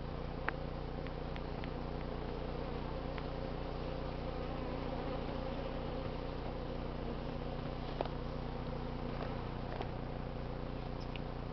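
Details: Steady low hum of a honey bee colony during a late-summer removal from a barbecue packed with 11 combs, mild weather; continuous deep drone with scattered sharp ticks and knocks from the work.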